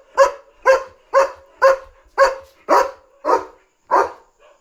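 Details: German Shepherd guarding its territory at night, jumping around and barking at a dog outside: eight loud harsh barks about two per second, the later ones slightly spaced wider and fading to a soft final sound.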